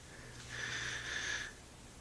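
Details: Dexter, a sleepy one-month-old German Shepherd puppy lying on a bed, gives one thin, steady, breathy whine lasting about a second, then falls quiet in a small room.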